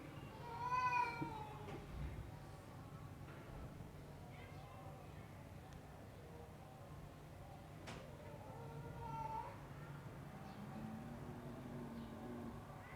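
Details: Persian cat of the extreme punch-face type giving a loud, harmonic meow early on, then quieter, shorter meows later. A steady low hum and a few clicks run underneath.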